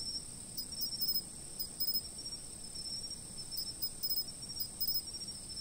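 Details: Insect chirping from a fixed camera: a continuous very high drone carries frequent rapid bursts of clicking pulses, grouped in twos and threes about once a second, over a faint low murmur.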